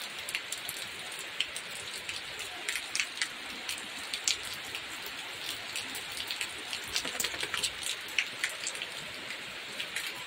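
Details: Steady rain patters and drips on hard surfaces, with a faint murmur of voices in the background and no animal calls.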